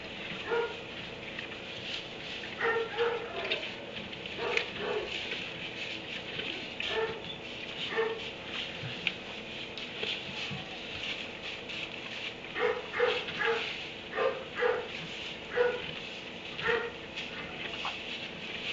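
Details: A dog in a kennel in a barn at 3am, barking in short bursts with harmonic yelps, clustered early and again in a rapid run near the end, over a steady background hiss.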